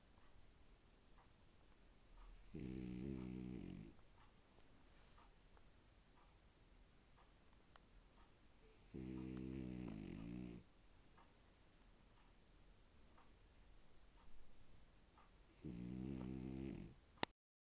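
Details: A French Bulldog sleeping on a bed snores in low, rattling, drawn-out breaths about every six seconds, breathing freely as a short-nosed breed; his lips and cheeks lift with each snore.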